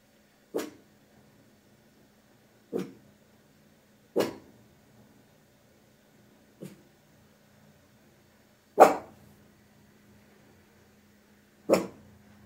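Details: Tiny Maltese dog indoors, recorded on a phone, barking to defend the house against invisible threats: six sharp single barks at uneven gaps of two to three seconds, the fifth loudest, over a steady low hum in a quiet room.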